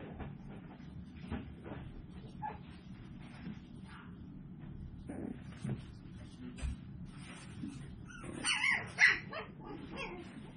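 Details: Seven-week-old Toy Poodle puppies from one litter, recorded 24 April 2022: quiet rustling and faint yelps build to a pair of sharp, high-pitched yips near the end against a low household hum.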